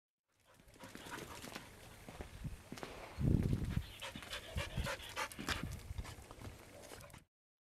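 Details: Pet dog panting rapidly, breathy puffs at about four per second, with a louder rough burst near the middle, then steady quick breaths until the end.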